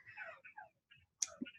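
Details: A Túngara frog call, a brief downward-sweeping whine followed by a few sharp clicks and a low chuck-like note; these frogs interact vocally.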